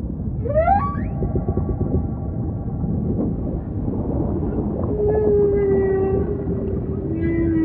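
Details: Humpback whale sings a sharp upward whoop, then a long steady falling tone held for several seconds, with faint higher squeaks above a dense low underwater rumble.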